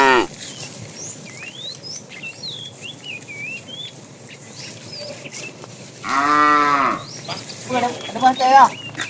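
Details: Fat tame cow calling the female while a herd is driven in the afternoon: one loud, harmonic, drawn-out moo of about a second near the end, with a rougher, shorter lowing after it, over constant chirping birdsong.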